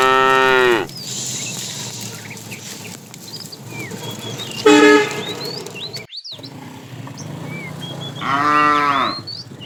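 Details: Tame cows wandering a road looking for food low repeatedly: three rich, harmonic moos, the middle one brief, set against steady bird chirping.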